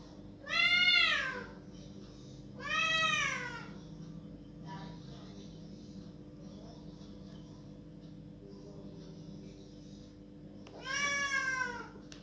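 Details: Loud crying from a pet cat wanting the door opened: two long wailing meows in the first three seconds, then a pause of about seven seconds with steady low hum before a third rising-falling meow.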